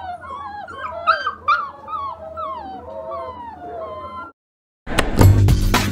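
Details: Orphaned puppies whining in a chorus of high, sliding yelps and wavering cries for about four seconds, then a brief silence before a loud burst of music cuts in.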